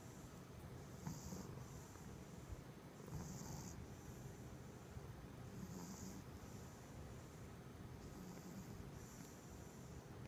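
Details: Holly and Abby, two pet dogs, snoring softly while asleep, faint low rasping snores recurring about every two to three seconds over a quiet background hiss.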